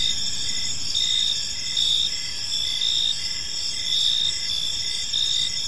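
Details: Evening park chorus of crickets, dense high trills holding steady while louder pulses return about once a second, with soft low rumble underneath.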